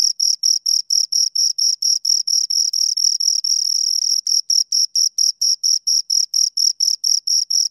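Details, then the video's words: Two crickets chirp at close range, regular shrill pulses that briefly merge into a continuous trill midway before returning to evenly spaced chirps. "Two Crickets Chirp Sounds"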